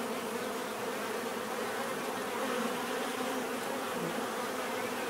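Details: Swarm-like continuous bee buzzing, an even low humming drone that swells slightly midway, no other animals or voices.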